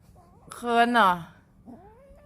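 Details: Three-month-old Scottish Fold kitten, indoors, answering its owner's talk: one drawn-out, harmonic meow that rises, then slides downward over nearly a second, followed by a soft faint rising squeak; owner's voice nearby.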